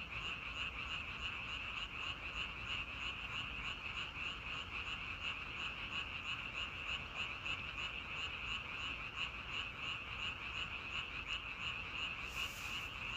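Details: Chorus of frogs calling together, a continuous shrill band of croaks beating in quick regular pulses for the whole stretch, under a steady murmur of low background noise.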